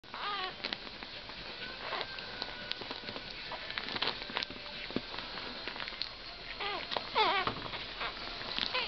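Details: Entlebucher Mountain Dog puppies from a litter born 22 August 2010, with their mother, give thin, high rising-and-falling whines and squeaks in scattered bursts, with a quick cluster near the end, over soft shuffling.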